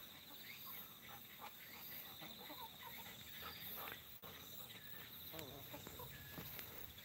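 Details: A Walker's cicada keeps up a high, steady buzzing drone while a man talks over it, on a humid day at end of September near a farm field and irrigation ditch; frogs also calling.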